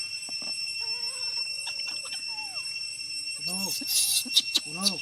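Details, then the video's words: Hungry young chimpanzee named Apollo crying to ask his papa for milk: after quiet, wavering tones and a few sliding whines, a burst of arched, rising-and-falling wails, with a steady high electrical whine behind and people talking nearby. "Apollo never change his sound crying request papa to feeding milk for him, Apollo so hungry"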